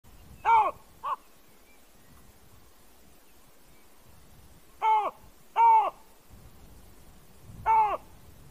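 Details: A wild baboon, apparently on guard duty, gives a distinctive, human-like call: short loud harmonic barks, two close together, then a pair after a long pause and one more, over quiet background.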